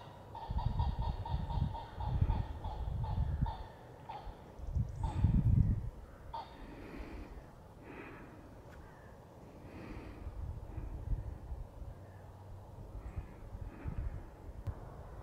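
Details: Late-autumn roe deer doe gathering her young and urging them across a stock fence; a quick run of clear, harmonic notes repeats several times a second, then returns more faintly later, over gusty low rumble.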